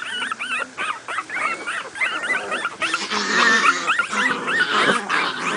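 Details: Two-week-old miniature pinscher puppies from a new litter at play, squealing in rapid, overlapping bursts of thin, bending whines, growing louder and more tangled toward the end.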